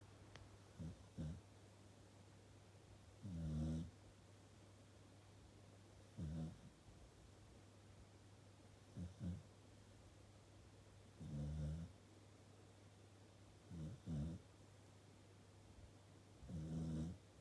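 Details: Corgi dog asleep on its own sofa, snoring like an old man: soft, low rasping snores in short bursts, irregular, some single and some doubled, every two to three seconds, over a steady low hum.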